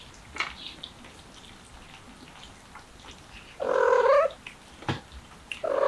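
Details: A mother cat attempting a window escape while carrying her kittens: after quiet shuffling, one loud, long, wavering meow rich in harmonics, with a second loud meow starting at the very end.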